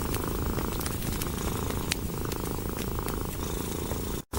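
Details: Cat resting contentedly beside a fireplace, its purr a dense, even, low throb that runs without pause. Bright crackles of burning wood scatter over it, and a brief dropout comes near the end.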